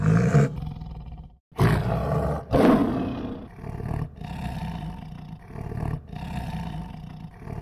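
A tiger gives deep, rumbling roars in a few heavy bursts, with low growling between them.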